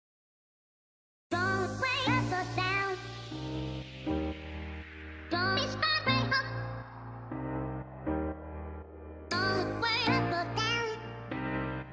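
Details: Pop-style music with layered instruments and a singing voice starts after a second of silence, with steady beats and melodic phrases and no animal sounds.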